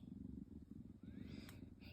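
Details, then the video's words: A tabby kitten cuddling happily beside an adult cat purrs in a steady, low, pulsing rumble. A short rising squeak is heard midway. "Always Purring Mini-Me"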